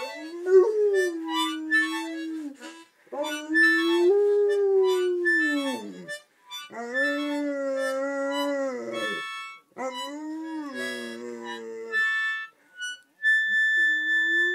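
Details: A Landseer Newfoundland sings along by howling to a mouth organ: four sustained, slightly wavering howls of a few seconds each, separated by short pauses, with harmonica notes sounding in between and behind them.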